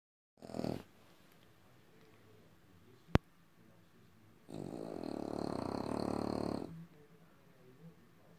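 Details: French Bulldog indoors giving one long, rough, rasping snore-like grunt of about two seconds, preceded by a brief snort and a sharp click; otherwise quiet.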